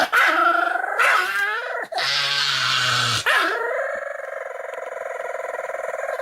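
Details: Pomeranian play-fighting at full effort, giving loud, tense, yelping growls that rise and break, then a low rumbling snarl, and finally a sustained, slowly fading whiny growl.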